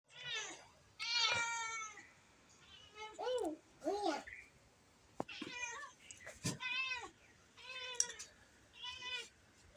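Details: A domestic cat, which a young child is trying to catch, gives several arched, harmonic meows of about half a second each, mixed with a child's excited speech between the calls.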